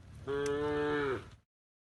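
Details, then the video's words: Tame cows mooing while being herded towards the livestock pen from a field at the forest edge: a single steady, tonal moo of about one second, rich in harmonics, ending with a slight downward bend, then silence. "the sound of cows mooing"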